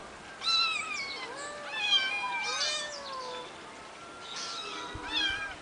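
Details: Three eight-week-old kittens living on a finca, recorded 11 May 2011, giving a run of thin, high meows, some rising then falling, with overlapping voices and a brief soft knock near the end.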